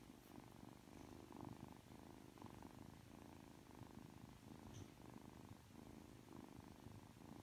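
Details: Just awake and affectionate, three-month-old Ragdoll kitten Aki gives a quiet, steady purr. The purr swells and fades in clear breath-length bursts, each under a second long, with no other noticeable sounds.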